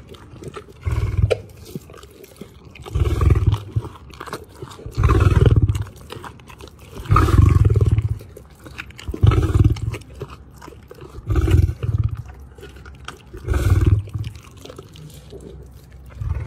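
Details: Lions being fed at a wildlife park in Ras Al Khaimah, UAE, give deep, booming grunting roars in short bursts about every two seconds. The bursts are low and throaty, with softer background noise in the gaps.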